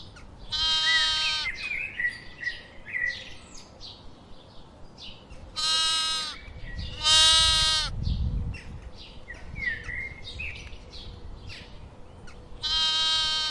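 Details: Sheep giving loud, nasal, vibrating bleats, two close together mid-clip and others at start and end, roughly ten per minute, over steady background birdsong of short chirps and whistles.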